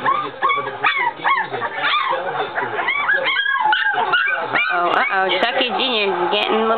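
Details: Three-week-old puppies from a Chucky x Deuce litter, crowded together in a dense chorus of high, wavering whines and short yips that rise and bend in pitch, overlapping almost without pause, with a human voice mixed in.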